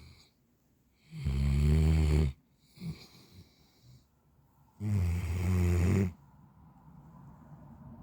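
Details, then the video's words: Central Asian Shepherd Dog (alabai) snoring indoors: two long, loud, low rasping snores about three and a half seconds apart, each lasting roughly a second, with a short softer breath between them. "Алабай храпит"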